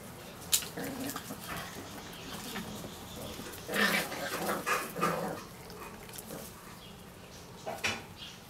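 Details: Parson Russell Terrier puppies of the F litter (Dark of Parson Place x Olivia from the Witty Wizards), aged six weeks and six days; a cluster of short, whiny yelps midway, a brief earlier squeak and a final one, over constant rustling and scuffling.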